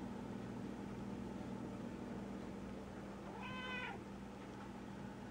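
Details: Black domestic cat in a basement giving one clear meow that rises then falls, about half a second long, over a steady low machine hum that runs through the whole recording.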